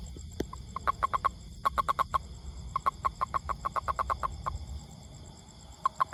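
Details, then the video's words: Toad producing long trains of quick, clipped croaking pulses, fairly evenly spaced, broken by a brief pause before resuming; low rumbling background noise throughout. "Amazing Sound Toad"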